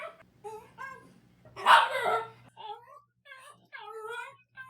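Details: Pet dog Daikichi, normally quiet, makes lonely-sounding whines in reaction to other dogs or noises. Thin rising-and-falling tonal whimpers surround one louder, rougher breathy burst in the middle.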